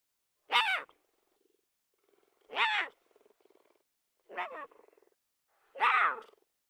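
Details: Lion cub crying for milk: four short, rough, wavering cries, each under half a second and falling in pitch, spaced about one and a half to two seconds apart, with faint soft trailing sounds between them.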